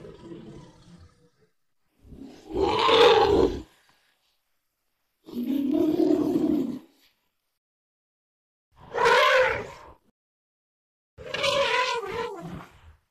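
An elephant gives loud, harsh, brassy calls in separate bursts about every three seconds.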